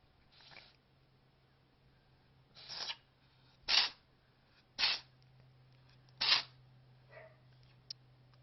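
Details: A newly adopted cat of unknown age with an odd sneezing problem, sneezing indoors: a string of five sharp, hissy bursts spaced about one to one and a half seconds apart, with a faint click near the end.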